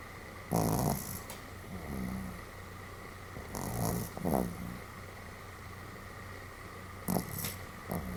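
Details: Sam the Pomeranian snores somewhat boisterously in sleep, 31 July 2015; irregular rough snorts and nasal, slightly whistling intakes arrive in groups of one or two every few seconds against a steady low hum.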